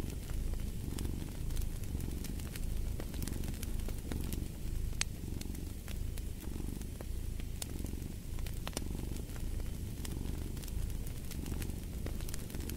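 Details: Domestic cat purring beside a crackling fireplace: a soft, low, rumbling drone that swells and fades with each breath, about once a second, under frequent sharp pops and snaps from the burning wood.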